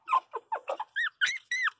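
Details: Small pinscher puppy indoors, licking at a nose, giving a quick series of seven short squeaky whimpers; early ones low and choppy, later ones higher, clearer and arched in pitch, each under a quarter second with brief gaps, in a quiet room.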